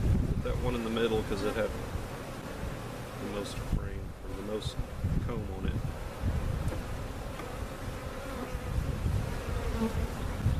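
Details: Honey bees removed in a cutout being placed with their comb in a permanent hive location at Jerome Bee Farm, Central Oklahoma; a dense, low, steady swarm hum with rumbling handling noise and several short bursts of human voice.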